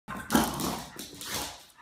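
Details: Boston Terrier dog, excited and worked up indoors, giving a short harsh growling bark that rises sharply at the start then trails into a rough, breathy rumble over about a second and a half.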